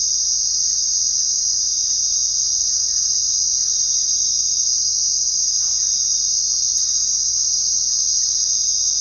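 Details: Chorus of crickets at night: constant high, thin trilling at unchanging loudness, with a couple of faint brief soft sounds in the background.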